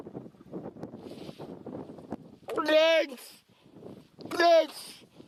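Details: Seal calling out twice, each a loud, drawn-out nasal wail with a rising-then-falling tone, separated by about a second and a half, over soft murmuring voices and outdoor background.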